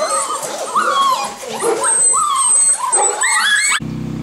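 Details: Several Golden Retriever puppies whine together in thin, wavering cries that rise and fall, layered densely, before the recording cuts abruptly to a low steady hum near the end.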